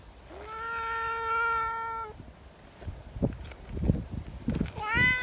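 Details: Affectionate community cat in a group outdoors on a windy day. One long, steady, nasal meow lasting nearly two seconds, then buffeting wind and thumps, ending with a sharp rising meow.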